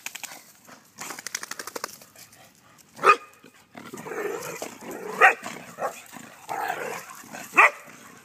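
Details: Vizslas, a group of three sisters just out of the water, bark in single loud sharp bursts about every two seconds, with softer grumbling yips and rustling noise in between.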